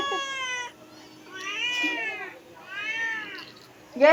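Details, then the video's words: A pet cat in the Philippines gives a run of three to four meows, each rising then falling, spaced about a second apart in a quiet room. "our cat is meowing"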